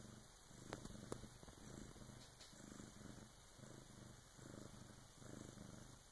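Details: Purring from Bengal cat Karma as her first kitten is born in the early morning, her big sister helping; soft low rhythmic rumble, a few faint clicks near the start, indoors and otherwise quiet.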